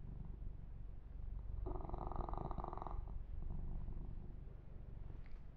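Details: Low, rapidly pulsing purr from a kitten named Yumak enjoying a massage, with a louder rhythmic surge midway and quieter rumbling after.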